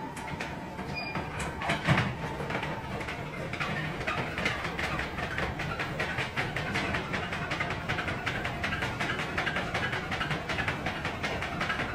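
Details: Rhythmic clickety-clack of a train on rails, steady rumbling and repeated metallic beats with faint speech; no animal voice is heard.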